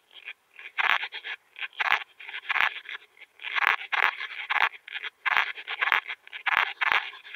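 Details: Veysel's slender bush-cricket (Tessellana veyseli) at Winden am See, Austria, on 13 July 2020, picked up through a Pettersson D 100 ultrasound detector: short rasping, buzzy bursts in irregular series, clustered pulses arriving roughly every half second with brief silent gaps.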